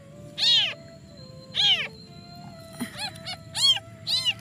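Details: Crying newborn kitten, reportedly dumped and searching for its mother all night while trembling: long arched meows spaced about a second apart, then a quicker run of shorter ones, with a steady tone running underneath.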